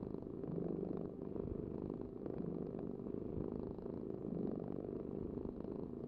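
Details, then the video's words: Steady, deep purring from a cat, a dense low rumble that swells and softens slightly with each breath, heard alone. "cat purring vibration"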